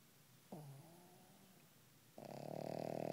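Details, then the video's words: Pug snoring softly while sleeping: a low, faint whistling breath, then a louder, rougher rasping snore that builds toward the end. "Pug Snoring"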